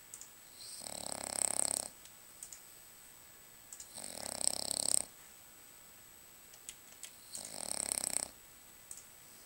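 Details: French Bulldog named Lucas sleeping and snoring, three drawn-out rasping breaths about every three seconds, each roughly a second long and airy with hissing, small clicks in the pauses, constant faint high whine in the background.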